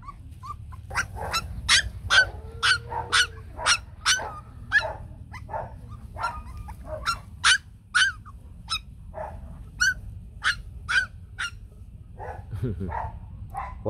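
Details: Young Bac Ha dogs, the white shaggy Vietnamese breed, calling near their mother: a busy string of piercing, squeaky yelps and whines, about two a second with uneven gaps, a low background rumble underneath.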